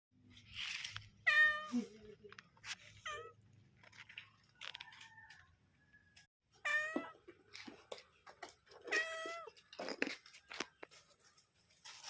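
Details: Mother cat calling while looking for her kittens; short harmonic meows, some falling and some bending upward, come in scattered bursts with quiet gaps and faint clicks and rustling between them.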